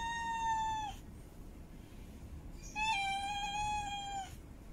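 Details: Two sustained, level meows from a female cat in heat calling for a mate, the second longer and more wavering, heard with a pause between them and a low hiss behind.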